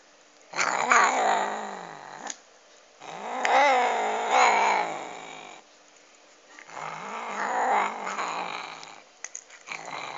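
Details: Cat growling over a duck bone it is eating: four rough, rumbling, noisy bursts of one and a half to three seconds, uneven in spacing, with quiet gaps between.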